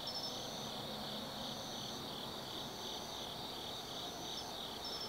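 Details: Shrill continuous trilling of autumn insects on a night in the Tsukimi no Mori woods, Kaizu City, Gifu, Japan, pulsing gently, with a few isolated high chirps and a faint low background murmur.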